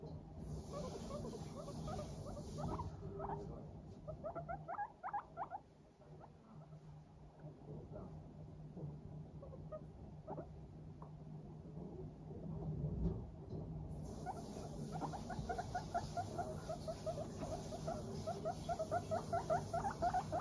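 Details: Several pet guinea pigs, Teddy and Abyssinian, in a cheerful mood, chattering with soft 'pupupu' notes while walking briskly; quiet bursts of short pulsed notes come and go, denser toward the end, over a low steady hum.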